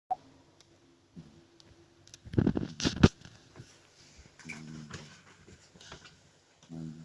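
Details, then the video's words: Two-month-old French Bulldog puppy named Zhorik snoring heartily while asleep indoors; buzzy, rattling nasal snores with low harmonic bands around five and seven seconds, preceded by a loud rustling, thumping burst in the middle. "Французский бульдог , щенок 2 месяца ,Жорик храпит"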